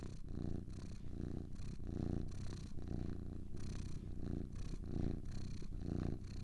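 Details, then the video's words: Pair of domestic cats purring: deep, vibrating rumble rising and falling with inhale and exhale, each breath cycle lasting under a second, intimate and quiet background. "Two Cats Purring"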